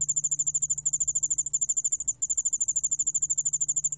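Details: Yeoul allak bangul beolle cricket giving a fast, even series of high metallic pulses, roughly ten per second, with one short pause near the middle and a faint hum below.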